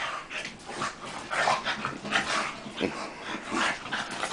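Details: Tank and Bofa, two dogs wrestling in play, trade rasping growls and short yipping grunts in quick irregular bursts, roughly one to two per second, with panting breaths between them.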